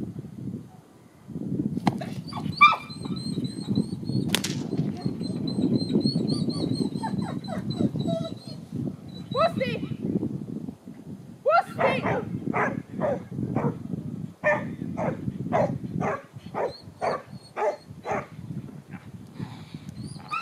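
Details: Panda, a 9.5-year-old female retired agility Border Collie, at protection training: a run of sharp barks in the second half after scattered whines and yelps, over steady low rumbling background noise and some human voice.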